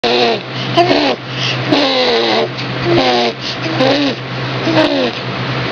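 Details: Amethyst, a female cat about 10 months old, in her phase of making a fart-like sound so often she chokes herself; about five short, throaty, buzzy rising-falling calls, repeated roughly each second, over a steady low electrical hum.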